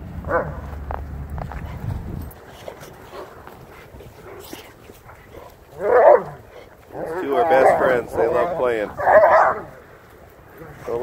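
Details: Four dogs romp around a home yard: 8-month-old Lycan Shepherd Ulu, 8-month-old Renascence Bulldogge Ogryn, Blue Bay Shepherd Kurgan and German Shepherd Lobo. Bursts of harsh, rasping growls and barks come in uneven runs during rough play, with a low rumble at the start.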